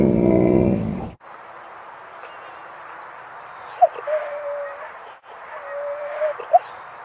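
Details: Dogs Rosy and Rocky playing at Seal Point Dog Park on the western side of San Francisco Bay, March 5, 2015: a loud broadband burst opens, then steady hiss with two short, thin, level whines around four and six and a half seconds.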